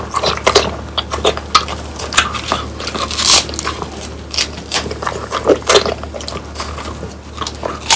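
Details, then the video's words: Pet French Bulldogs Pang, Kun and Ppo crunch through crispy dried quail with bones; dense, snappy bites and scraping chews repeat irregularly over a faint indoor hum. "강아지 먹방 ASMR 통메추리를 건조시켜 바삭하게 먹어봤어요"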